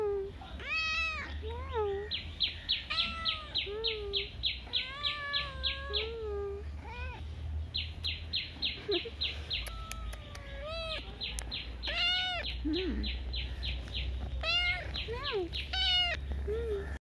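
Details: Street cat producing a series of drawn-out, bending meows, some sharp and high, others lower and wavering, over a rapid high ticking chirp repeated several times a second and a low background rumble.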